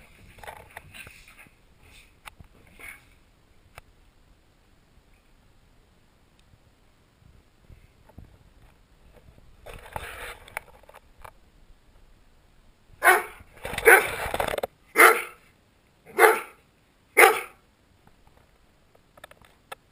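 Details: Willow the Sheltie and Forrest the Rhodesian Ridgeback horseplaying together, filmed with a GoPro; a burst of short, sharp barks with snaps near the end, after quieter scuffling and rustling earlier.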